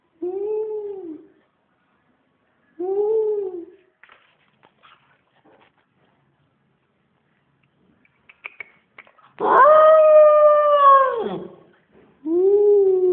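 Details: SnowBall, a dog, howling indoors: several drawn-out, mournful tones, the middle one higher, louder and longer at about two seconds, with shorter lower howls around it and brief clicks and taps in the pauses.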